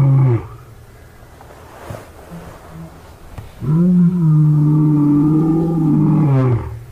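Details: Male lions, five of them, at a zoo in Birmingham, roaring on August 13, 2015: a short low moan at the start, a quiet gap, then a long steady deep roar for about three seconds.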